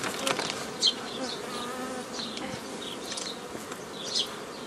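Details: Honey bees at an apiary on 15 May 2018, during old-style forming of nucleus colonies from a previously gathered forager swarm; a steady, dense hum of many bees with scattered sharp clicks and knocks from hive handling.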